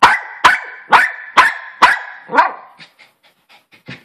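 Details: Maltese Poodle dog barking: five sharp, loud barks in quick succession about half a second apart, then quieter yips and small sounds trailing off.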